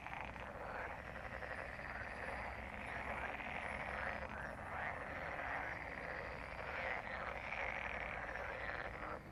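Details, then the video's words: Frogs gathered for mating, heard as a softer, more distant chorus of rapid trilling croaks blending into a constant hum, with low background rumble. "Frog mating/ Żabie gody/Froschpaarung"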